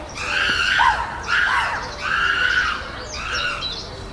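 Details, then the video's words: Screaming chimpanzees at Chester Zoo's Chimp Island during fights and displays after a new baby arrived, alpha male Carlos keeping order; three long, rough, harmonic shrieks, each about a second, separated by brief pauses, the last one softer. "The Chimps Making More Noise Than Ever!"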